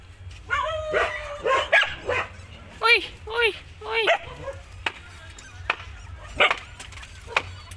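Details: Puppy yapping: about six high, short, harmonic barks in quick bursts over the first four seconds, then sparse clicks and knocks, with a man speaking Hindi and calling out in the background.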